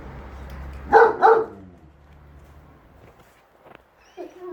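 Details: Two loud barks in quick succession from Enzo the German Shepherd and Shira the Husky, whose disagreement concerns whether the lawn mower is evil, followed by quiet background and a faint sound near the end.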